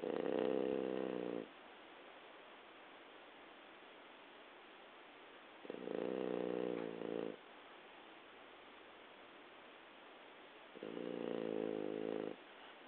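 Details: Adult French Bulldog's sleeping breath or snoring (stertor), slow rumbling breaths each over a second, about five seconds apart; it was a loud snorer as a puppy but grew quieter with age.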